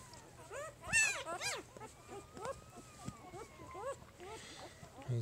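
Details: Newborn puppies of Jig's litter, three days old, give scattered thin upward-sweeping squeaks, one loud pair near the start, while a person speaks quietly and a faint steady tone runs underneath.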